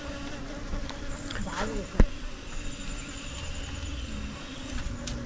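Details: Mountain honey bees of the Himalaya during honey hunting, giving a soft, continuous low droning hum. There is a faint voice early on and a single sharp knock near the middle.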